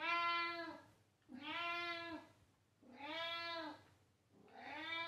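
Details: Indoor pet cat meowing loudly: four long, rich, harmonic meows, each rising then falling slightly, repeated about every one and a half seconds with little pause between them.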